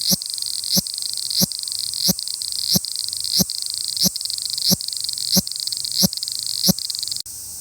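A cicada's high, steady electric buzz, broken by sharp clicking pulses about every two-thirds of a second.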